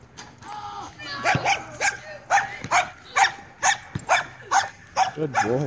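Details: Seven-month-old Weimaraner named Jake barks in a rapid, uneven series of about a dozen sharp barks, roughly two per second, with some yelping at the end.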